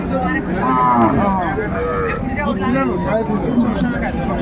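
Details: Cattle market scene at Ambari haat, Dinajpur, Bangladesh, with cows and calves traded on 31 January. A single brief lowing call near the start, then overlapping voices haggling over price and milk yield, with crowd noise and music.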